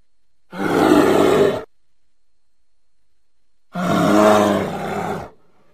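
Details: American black bear voicing two long, harsh growling roars, the second longer and more drawn out with a layered, moaning tone, separated by a few seconds of complete silence.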